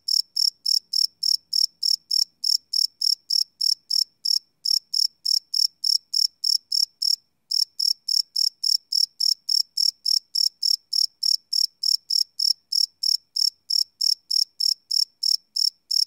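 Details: Night-time cricket chirping captured live on a Sony PCM D100 field recorder; shrill pulsed chirps repeat rapidly and evenly, roughly three per second, with one brief pause partway through and a quiet background.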